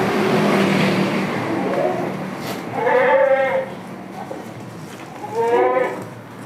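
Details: Goat from a village farm holding Damascus and Jamunapari breeds giving two drawn-out, trembling bleats a few seconds apart, with a low hum and general farmyard noise underneath.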